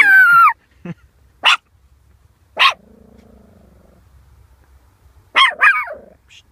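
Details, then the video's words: A male Pekingese gives sharp, high-pitched barks, each a short burst, spaced a second or more apart. "My Dog Primus Pekinese Barking"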